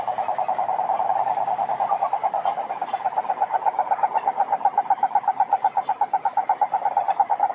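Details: Male toads croak to draw females: a steady, fast-pulsed trill at constant mid pitch, the beats growing sharper and more distinct toward the end, about three pulses per second audible as a throbbing rattle.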